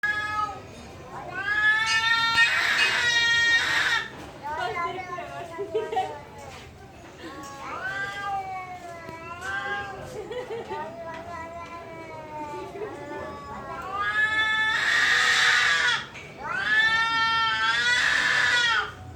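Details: Cats fighting at a temple, with long drawn-out wailing yowls that rise and fall in pitch, sounding almost human; several overlapping howls, some harsher bursts, brief quieter gaps between them.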